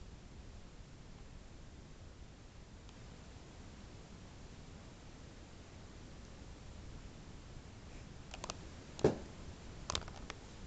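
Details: Quiet indoor room with a steady low hum, then a few sharp clicks and taps near the end as a toy is knocked about.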